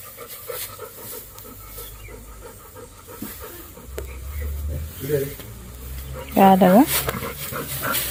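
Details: Pet Labrador Golden, tired after work in Kalsuli village, pants in fast rhythmic breaths, nearly four per second, with a person speaking and a sharp louder voice near the end.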